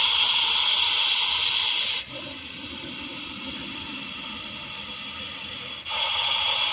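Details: Russell's viper from Vapi city giving a sustained, airy hiss: strong for two seconds, quieter through the middle, then loud again in the last second.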